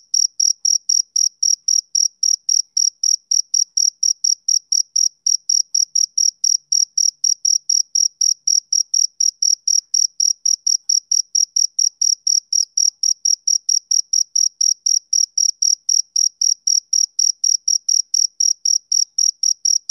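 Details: A male cricket gives a long unbroken series of sharp, high chirps, about three to four per second, steady and unchanging for the whole stretch. The setting is a quiet summer evening with no other sound.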